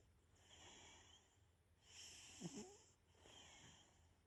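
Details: A domestic cat snores softly, its owner wondering whether it has a bad nose. Three faint, airy breaths each carry a thin high whistle, and the middle one adds a brief rattling snort.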